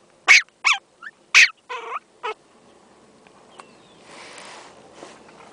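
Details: Four-month-old female teacup Yorkshire Terrier, recorded in 2008; six quick, shrill yaps in the first two seconds, then quiet with faint rustling and a soft hiss.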